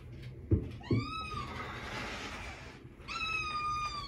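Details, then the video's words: Little black kitten demanding food at mealtime, meowing insistently: a long rising-then-falling meow near the start and another drawn-out level meow toward the end, with two soft thumps and faint room noise between. "Milo Meows A Lot For Food"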